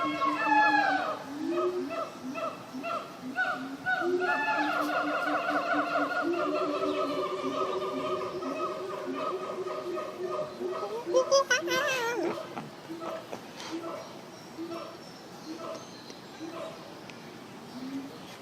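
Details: Monkeys at a zoo keep up a long chorus of harmonic hoots. Rising, swooping whoops build to a shrill, loud burst near the middle, then taper back into quieter hoots.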